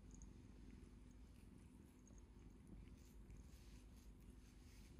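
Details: House cat seeking affection, rubbing its face on a hand and extending a paw; unbroken deep purr throughout, with soft rubbing rustles and small clicks mixed in.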